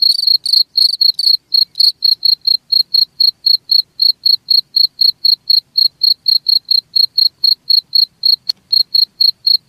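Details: Cricket calling: a few fuller, raspy chirps at the start give way to clean, evenly spaced high pulses about four per second, with a single sharp click near the end.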